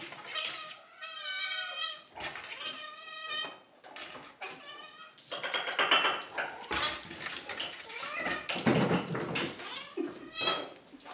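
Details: Several pet cats indoors, after fighting on the sofa and in a box, screaming for their dinner: loud, drawn-out harmonic meows and yowls, some wavering, overlapping in quick succession with brief human voice between calls.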